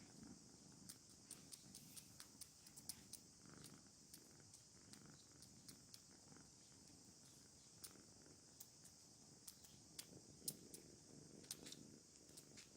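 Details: Contented kittens purring in a low, rhythmic rumble that swells and fades in soft waves, overlaid by frequent sharp clicks and small tapping sounds over a quiet steady hiss.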